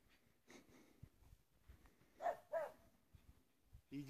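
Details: Chara, a female Russian Spaniel playing outdoors in snow and digging for a snowball, gives two short high yelps about a third of a second apart, set among soft thumps and crunching snow.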